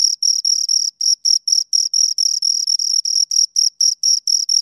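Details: A pair of crickets heard up close, giving rapid high, buzzy chirps about four per second in an even run, each pulse sharp and shrill, with nothing else audible.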